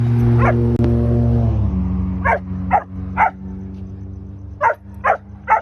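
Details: Puppies on a late-night walk, one dog called Damon: short, high, yelping whimpers, one early then six more in uneven pairs and singles, after a low droning musical hum that fades in the opening seconds.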